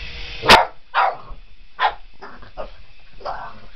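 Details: Boston Terrier indoors chasing a remote control helicopter, giving a few sharp barks spaced about a second apart, with a person's voice in between.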